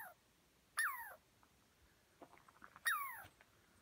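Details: In the North Cascades, a squirrel chased up a tree by a dog and unhappy with people nearby gives two clear, whining calls that slide steeply downward, about two seconds apart.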